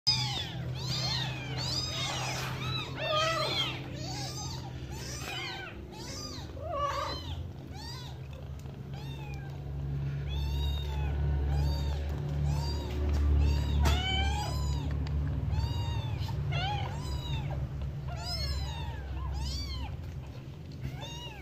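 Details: Mother cat with her kittens: a dense stream of short, high, rising-and-falling mews, often overlapping, coming about four times a second over a steady low hum.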